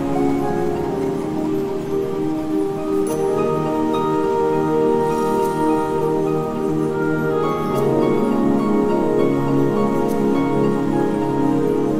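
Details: Bright mallet-percussion music with chiming, bell-like notes rings continuously, with no animal calls.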